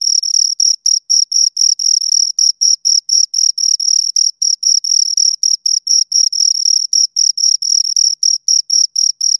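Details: Steady chirping from two crickets heard up close: bright, high-pitched pulses repeating roughly four times a second in an even rhythm, clean background with nothing else audible.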